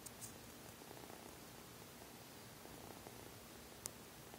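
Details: Seol-i, a pet cat, purring while enjoying a belly rub indoors; a soft, steady low rumble pulses on without pause under a faint background hiss, with a brief click near the end.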